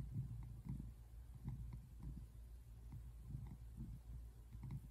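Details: Male tabby American Shorthair cat purring while relaxing indoors on a couch, recorded February 8, 2024; low, soft rumbling pulses that swell and fade about once or twice a second, steady and quiet throughout.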